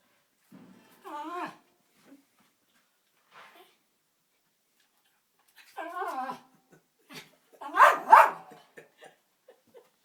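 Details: A Jack Russell Terrier trying to fetch a ball out of a fireplace gives wavering, high whines and short yelps in a few separate bursts.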